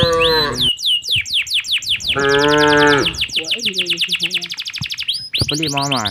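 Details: Cows herded home to their pen in the late afternoon through a peaceful village. Brief moo at the start, a fuller moo midway and a softer low lowing after, largely overlaid by constant bright bird twittering.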